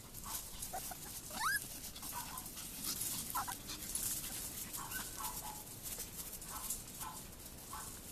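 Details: AKC Chihuahua puppies, a short-haired fawn-and-white male and a long-haired white female with fawn spots, playing outside on a warm February day; a rising high whine, then scattered short squeaky yips over steady outdoor hiss.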